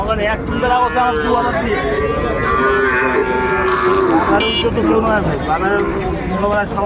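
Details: Sahiwal bull calves, about eight months old, for sale at Ambari cattle market in Dinajpur on 23 February; several low drawn-out moos rise and fall under steady chatter of buyers and sellers haggling, with distant traffic.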